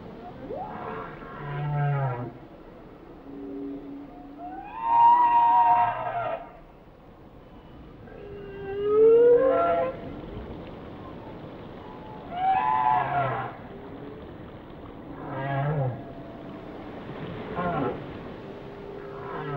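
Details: Whale song: a sequence of moaning, wavering tonal units with rich harmonics, some sweeping upward, others falling, phrases repeating about every two to three seconds over a low watery hiss.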